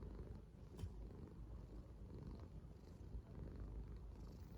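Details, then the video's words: Contented yellow Korean Shorthair cat purring, a deep continuous rumble with slight swells in loudness and faint clicks over a quiet background. "귀여운 코숏 고양이가 내는 소리"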